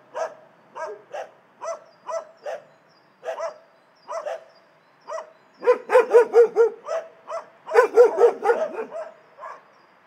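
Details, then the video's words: Barking dogs in an animal shelter, with irregular single barks at first and then two dense bursts of overlapping, louder barking from several dogs at once. "Szczekające psy w schronisku"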